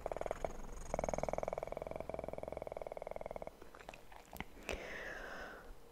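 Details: Kitten's fast, pulsing purr, intimate and close in an ASMR recording, continuous for about three seconds before stopping, followed by soft rustles and a couple of sharp taps.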